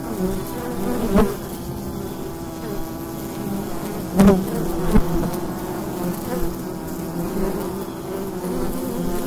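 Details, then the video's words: Wild honeybee swarm recorded in daytime during fall at the entrance of a wild hive: a steady low droning hum with stacked harmonics, overlaid by brief louder buzzes of individual bees flying close past the recorder. "Wild Bee Hive in the Daytime - ambient sound"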